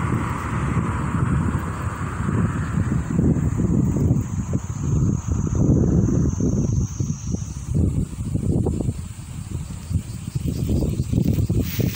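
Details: Gusty wind buffets the microphone with a low, steady rumble, and no animal voice stands out. Only a faint, distant hiss sits high above the roar.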